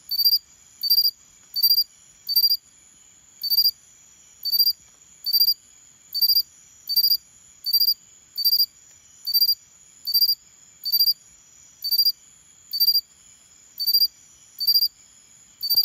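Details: A Xenogryllus cricket gives short, high, ringing chirps, each burst about a third of a second, over a quiet background.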